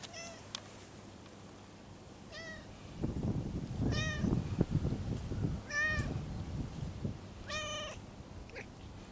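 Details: Stray cat meowing softly as its lower back is tapped; five brief rising-falling mews spaced about every one and a half seconds, over low rhythmic patting and rustling.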